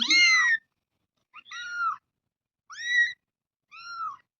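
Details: Young cat mewing four times, each call loud, high and bowed, rising then falling, spaced roughly a second apart in a quiet room.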